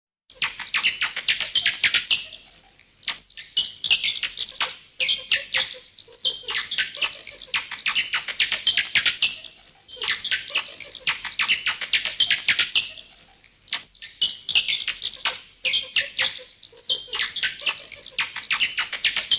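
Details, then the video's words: Bats calling: dense, continuous high squeaky chatter in rapid bursts, swelling and fading in waves roughly every few seconds, with faint lower clicks beneath. "FUNNY BATS NATURAL SOUNDS"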